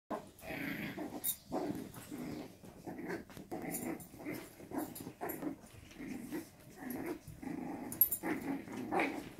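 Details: Six-week-old Jack Russell x Yorkshire terrier cross puppies growl and grumble in short, rough bursts while playing tug of war.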